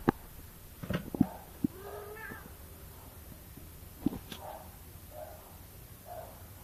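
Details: A cat gives several short meow-like calls, some with clear harmonic tones that bend upward, punctuated by sharp knocks and clicks; a softer pair of calls follows near the end over a low steady room hum.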